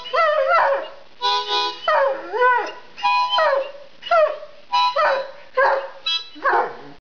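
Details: Hound dog 'singing' in a run of short howls. Each lasts under a second and is separated by brief pauses. The notes are wavering and harmonic, rising and falling in pitch, with some brighter, higher yelps near the end.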